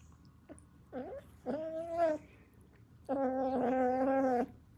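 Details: Kitten giving odd vocalisations: a short bent chirp, then a sustained meow, and after a pause a long, steady, rich harmonic cry lasting over a second, over a quiet background.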